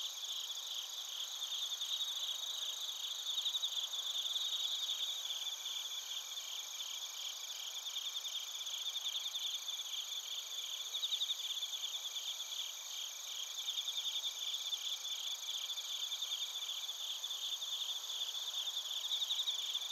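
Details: Bell crickets and crickets in Narita, Chiba Prefecture, Japan, on a TASCAM Portacapture X8: unbroken high-pitched chirping chorus, many pulsed trills overlapping with faint occasional brighter chirps above a steady ringing drone.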